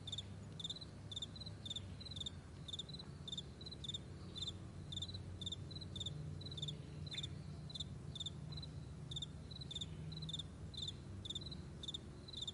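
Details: Crickets chirping on a vast meadow in the morning: short high double-pulsed chirps repeating rapidly and steadily, several callers overlapping, over a low continuous rumble.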